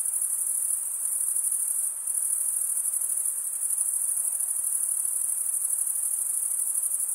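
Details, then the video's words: Crickets chirping, males stridulating with toothed wing veins: a constant sharp high trill with rapid pulsing, briefly softening near the two-second mark before resuming at full strength. "cricket sound"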